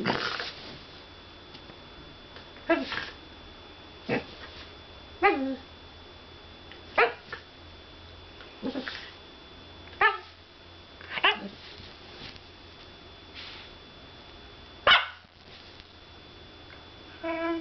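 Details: A whippet barking indoors in a small room, short sharp yips and barks spaced irregularly every one to two seconds, some with rising whiny tails, against a quiet background.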